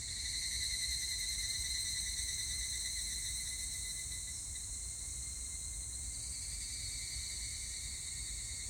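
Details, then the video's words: Higurashi evening cicada singing, recorded 25 July 2019: loud, shrill, rapidly pulsed ringing chorus that fades slightly midway, then a tone rises again near the end, over low background rumble. "セミの鳴き声 ひぐらし"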